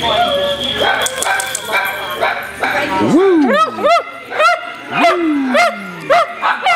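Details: Italian Greyhounds playing at a Sunday morning rescue playdate at Mantayo Kennels in Denver, Colorado, January 2014: after early chatter and music, a series of sharp, arching yelping barks, each rising then falling, repeated roughly every half second.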